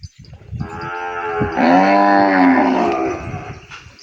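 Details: Bawling calf, held away from its mother and calling for her in a pen: one long, steady, tonal moo lasting nearly three seconds that swells in the middle and fades, with faint knocking before it.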